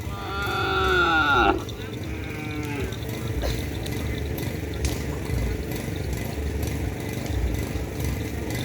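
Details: Cattle at a bull race event, Kerapan Sapi Griduh Onggu: a loud drawn-out moo with stacked harmonics lasting about a second and a half, then a shorter falling call, over steady crowd noise and rumble.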